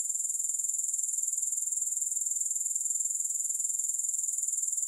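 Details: Shrill, sizzling grasshopper chorus held at one very high pitch, with regular rapid pulsing and nothing else audible.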